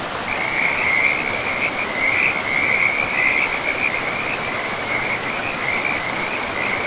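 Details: Forest river frogs in a dense, unbroken chorus of high, grating trills that swell and fade in loudness, nearly continuous across the whole stretch, above a soft wash of running water.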